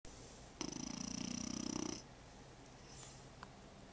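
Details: A French Bulldog puppy snoring: one rattling, buzzy snore lasting over a second, made of rapid fluttering pulses, then quiet breathing and a faint background hiss.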